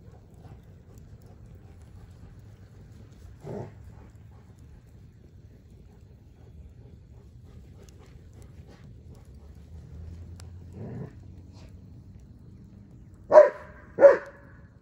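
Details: German Shepherd named Odin at play with a log: scattered brief low sounds, then two sharp, loud harmonic barks in quick succession near the end, with little other noise.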